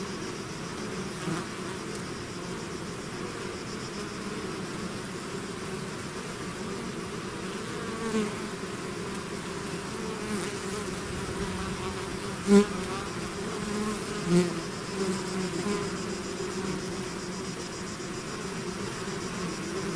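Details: Thick, even drone of a bee swarm leaving its hive, punctuated by several single bees flying close by, giving short louder buzzes, most notably near twelve and fourteen seconds.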